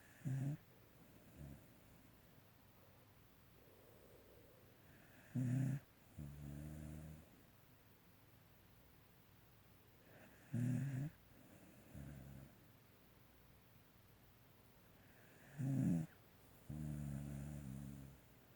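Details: Sleeping pet dog snoring indoors: three low, rumbling snore bouts about every five seconds, each a short harsh inhale followed by a longer buzzy, harmonic exhale, with quiet room hush between.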